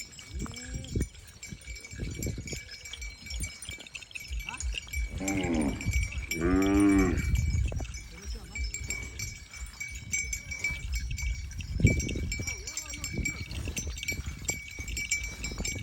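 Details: Cows grazing happily in the countryside in the rainy season; one gives a long, rich, drawn-out moo swelling in the middle, followed later by a brief lower call, over a constant high chiming tinkle and rustling noises.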